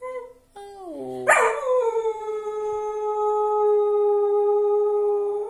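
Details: A pet dog howls together with its owner: after a brief lower human-like howl, the dog joins with a loud, sustained, steady howl held for about four seconds, slightly sliding down at the start.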